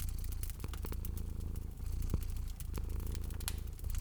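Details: A cat sleeping near a crackling hearth in cozy spring surroundings, its low purr pulsing gently in two to three breath cycles, mixed with dense crackling and occasional louder pops from the fire.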